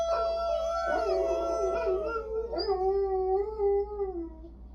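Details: A dog howls in overlapping, wavering tones that waver and slide downward, then settle into a lower, drawn-out wail that fades, with a steady low hum beneath.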